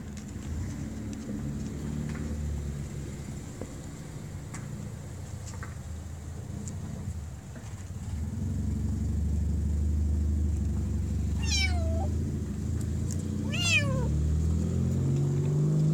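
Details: Kitten trapped in a deep pipe during a rescue in Bulgaria: two short, high, arching meows with a falling tail near the end, heard over steady low engine rumble from a nearby vehicle.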